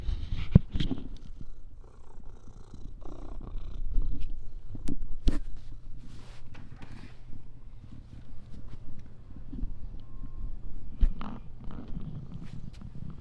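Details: Domestic cat purring while being petted on its back indoors; a steady low rumbling purr runs throughout, with occasional soft clicks and handling noises.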